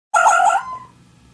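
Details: A fox gives a single short, high, harmonic cry lasting about half a second, strained and slightly wavering, ending abruptly and followed by quiet with a faint low hum.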